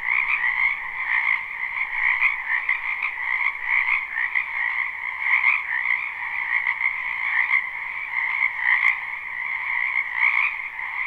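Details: Dense spring chorus of frogs from a marshy wetland near a home, recorded live: continuous overlapping trills and croaks forming an even, high buzzing wash with small surges, nothing else clearly audible.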